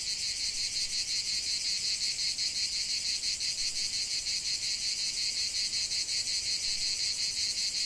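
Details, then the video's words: Cicadas in a lavender field, a piercing high buzz pulsing steadily about three times a second, continuous and even. "ce chant de CIGALES au cœur d'un champ de lavande"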